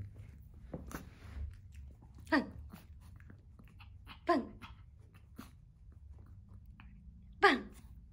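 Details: A female Yorkshire Terrier born November 2019, excited for treats during paw/trick commands, gives three short, high, falling yips a few seconds apart.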